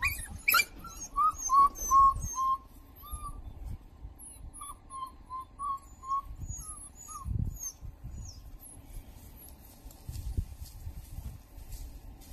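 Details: African wild dogs, a mother with her pups, give a string of short, bird-like chirps and squeaky twitters over a low rumble; African wild dog.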